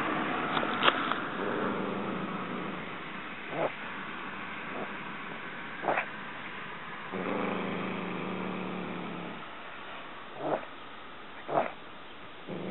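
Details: Poo the cat turns savage after catching a mouse, snarling like a dog when approached: long low rumbling growls, one at the start and another midway, broken by short sharp hissing bursts spaced a few seconds apart.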